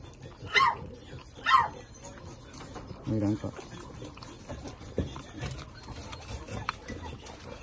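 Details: Small Shih Tzu puppies, from a litter of two males and two females, give two brief, high squeaky cries near their nursing mother, followed by a woman's quiet voice.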